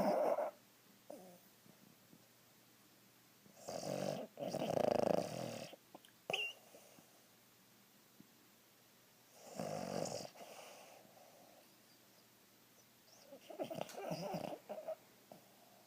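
A sleeping Boston Terrier snores in raspy, breathy bursts with quiet pauses between them.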